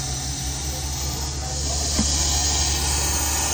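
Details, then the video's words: Russell's viper during a rescue operation in Maharashtra, hissing loudly from inside cover after being touched with a stick; a harsh, steady, broadband rush of air holds throughout, over a low electrical hum. "घोणस सापाचा आवाज पाहा किती खतरनाक असतो"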